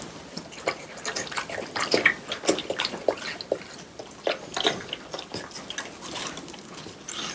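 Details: Quiet, intimate recording of French Bulldogs eating watermelon at summer's end: sharp wet clicks, licks and juicy smacks repeated in irregular quick succession.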